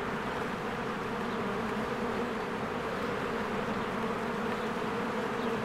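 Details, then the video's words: Honeybees flying in and out of their hive in spring, with flowers blooming, make a dense, steady drone. The low hum holds even and unbroken throughout, like a continuous buzzing wall of sound. "1 Hour of a Beehive ASMR"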